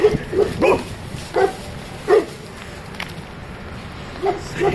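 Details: Saint Bernard barking aggressively: short clipped barks in irregular bursts, several in quick succession, with pauses between, over a dull background hiss.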